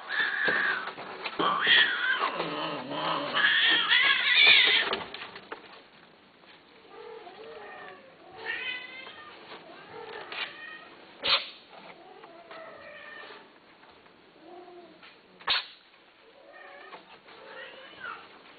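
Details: Cats for sale call loudly in a run of overlapping harsh meows for the first five seconds, then many softer, short, rising mews repeat quickly, with two sharp knocks.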